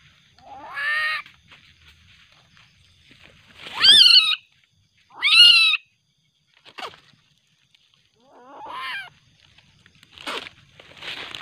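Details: Angry juvenile common palm civet in darkness making scattered shrill, rasping cries, each about half a second long, separated by gaps of one to three seconds.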